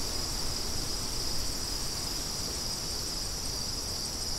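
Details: Crickets produce a continuous high-pitched trill that holds steady throughout, set against a broad, rushing bed of wind noise that fills the low end.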